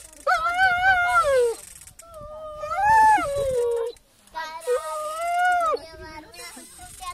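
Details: Whining dog producing three long, wavering, moaning whines, each a second or more, bending up and down in pitch like plaintive howls.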